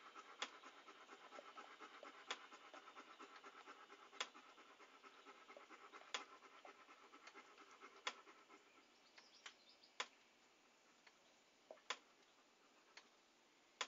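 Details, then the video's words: Quick breathy panting from a dog, recorded as calming ASMR. The even huffing thins out in the last seconds, leaving scattered soft clicks and a near-silent pause. "A Panting Dog"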